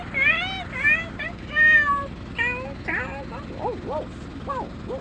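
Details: A dog vocalizes in a run of wavering, yowling whines that bend up and down, followed by shorter, lower arched cries, over steady background hum.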